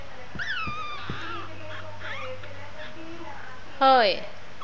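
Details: Shih Tzu puppies four weeks old whine in high, wavering squeaks, one falling whimper early, softer mewing in the middle, then a louder sharp rising-and-falling yelp near the end, over steady low hum.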